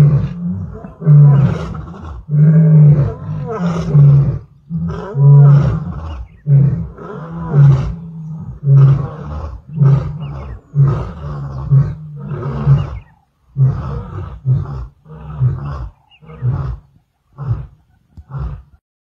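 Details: Roaring male lion at Klaserie Drift Reserve, recorded 2 October 2023: long powerful moaning roars give way to a series of short, deep grunts that grow briefer and more spaced toward the end.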